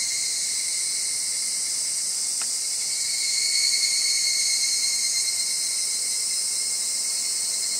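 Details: A loud, shrill, steady cicada buzz fills the air at Gaikotsu-yama, Japan, in August 2020; the background singing is not a Minmin cicada's, though a dead Minmin cicada is shown. Robust cicada.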